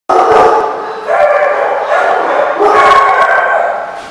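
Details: Dogs barking at a site called The Barking Lot, recorded 24 October 2014; loud, dense overlapping barks and yips fill the clip continuously, with surges near one second and again after two and a half seconds.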